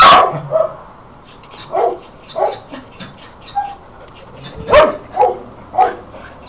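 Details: Four puppies yapping in short, scattered barks roughly every half second to second, with a loud bark at the start and faint high chirps in the background.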